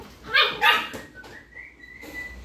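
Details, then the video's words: American Pit Bull Terrier puppies give two sharp, high yips in quick succession, followed by a steady, thin whistled tone that drifts slightly upward. "Pitbull Puppies: Lively Bunch"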